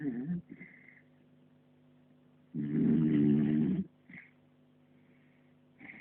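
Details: Sleeping puppy snoring: one loud, rough, rasping snore near the middle lasting about a second, surrounded by soft breathing, faint squeaky snuffles and quiet pauses.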